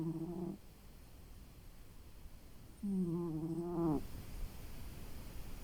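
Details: Pet cat fast asleep after a long day, snoring softly: a low, wavering snore trailing off at the start, then a longer buzzing breath that rises slightly in pitch before stopping, in a quiet room.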